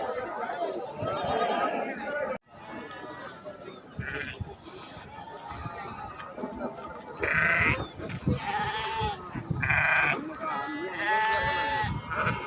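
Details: Sheep at the Atpadi goat and sheep market on Saturday, 15 July 2024: several wavering, harmonic bleats near the end of the clip, each about half a second long, over a constant murmur of voices and crowd chatter.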